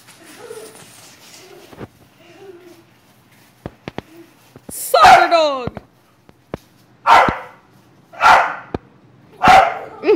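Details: A female bulldog chasing a ball with a boy in a backyard gives four loud, rough barks about a second apart in the second half. Before that come faint talk and scuffling.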